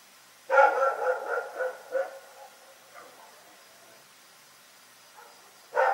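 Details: Night barking from Rex, a dog in Pyrga: a rapid burst of five or six harsh barks over about a second and a half, fading into softer yips, then silence until one loud bark at the very end.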